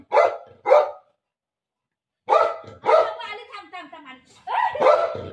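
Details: Milo the pet dog greets mummy at home: two sharp barks, a brief silence, then more barks mixed with a person's voice.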